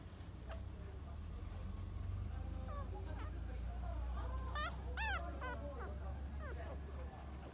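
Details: Female puppy offered by a breeder, recorded 25 November 2020, whimpers and yips in short high arched cries clustered from about three to seven seconds in, over a steady low hum.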